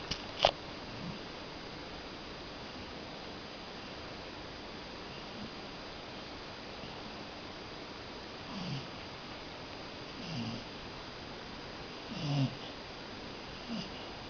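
A Cocker Spaniel snores softly, low rasping breaths coming every couple of seconds over a steady hiss.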